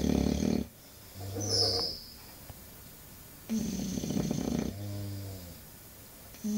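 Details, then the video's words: Sleeping English Bulldog with noisy, irregular snoring: a rough snore, a brief whistly snort, then a longer rattling snore trailing into a softer grumbling breath, and a new snore beginning at the end. "Bulldog ingles roncando"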